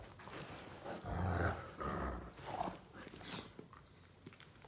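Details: Two male Great Danes, Finn and Magic, mouth fighting in play indoors, Finn trying to dominate: low rumbling growls and grumbles with scuffling, short bursts of mouth noises between quieter gaps.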